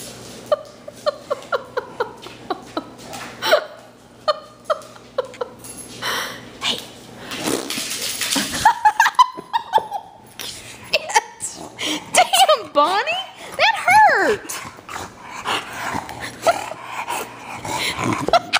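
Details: Bonnie, a pet female dog indoors in a living room, worked up by raspberries blown at her. Wavering, whine-like howls rise and fall mid-clip, mixed with a woman's laughter, talk and sharp clicks and knocks.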